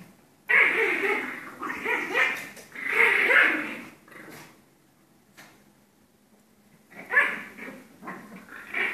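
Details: Two Pomeranians playing and fighting, trading rapid, choppy snarls and yapping growls in quick clusters, falling quiet for about three seconds before another burst of snarling.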